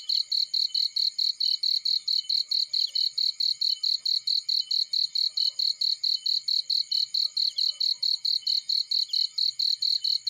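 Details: Cricket chirping in a field: a steady, high, rapid pulsing of bright chirps, about four to five a second, continuous and even throughout, with no other clear sounds.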